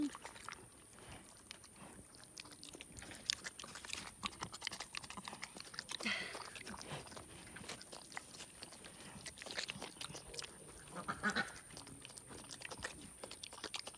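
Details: A male pig about 4.5 to 5 months old chews leftover homemade chocolate donut glaze noisily, with a steady run of wet crunching and smacking bites.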